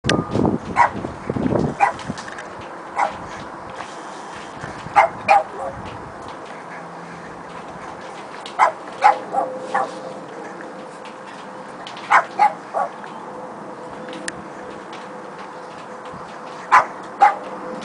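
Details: A Boston Terrier barking at a cat through a door gives sharp, high barks, often in quick pairs, every few seconds.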